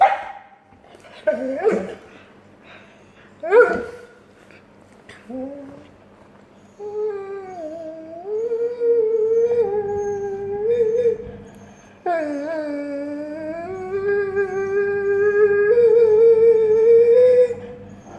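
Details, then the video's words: A Dobermann making funny noises: several short yips and whimpers at first, then long wavering howls that rise and fall in pitch, the last one climbing and sustained for several seconds, over a low steady hum. "Funny noises that a doberman makes"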